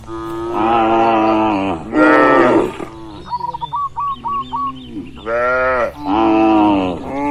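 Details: Grazing cattle herd in open rural pasture: two long moos, a pause filled by a quick series of repeated chirping bird notes, then two more bellowing moos closing the sequence.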